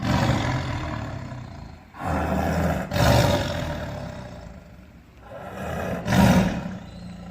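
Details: Tiger roaring: deep, rumbling roars in a rough series, each a few seconds long, with breaks at about two, three and six seconds and strong low-pitched energy throughout.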